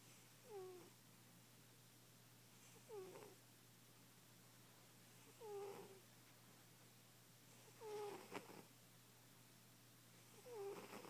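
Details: Sleeping plump house cat snores at a steady pace, about one breath every two and a half seconds; each rasping breath includes a thin descending nasal whistle, with soft room hum underneath.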